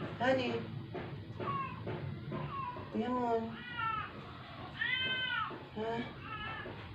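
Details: Sick rescued stray cat near death after a vet clinic visit, having not eaten for twelve days, utters a string of short, strained meows, some arched and rising, roughly every half second to second, with faint voices and room hum.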